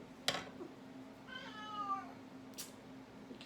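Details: A pet cat gives one plaintive meow that rises slightly then slides down, wanting to go outside while it is raining; sharp rustling and clicking around it over a low steady indoor hum.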